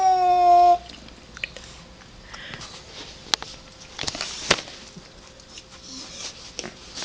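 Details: Pet cat Ellie, indoors and hostile toward a cat outside, lets out one loud, drawn-out harmonic yowl sliding slightly down in pitch, under a second long, followed by quiet room noise with soft clicks and taps.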